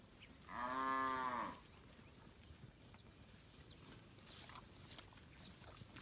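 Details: Village cattle wandering and eating grass in a rice field; a single loud, rich moo of about one second opens the recording, followed by quiet outdoor ambience with faint distant bird chirps.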